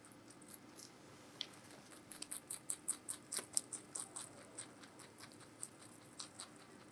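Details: Giant rabbit named Meonji at Alpaca World eating vegetables: quick crisp crunching clicks, sparse at first, then a dense run of sharp bites for about three seconds before slowing, in a quiet indoor room.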